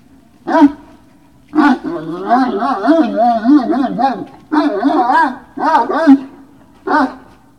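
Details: Great Dane dogs at Puppy Hill, 19 February 2019, evening: short yelps open, then a long run of quavering, pitch-bending whines, followed by several separate yelping bursts spaced about half a second to a second apart.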